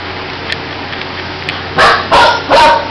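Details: Fifteen-day-old puppies with their mother: after a steady background hiss, three short, tonal whining yelps come in quick succession near the end, each about a quarter second long and pitched in a thin wavering line.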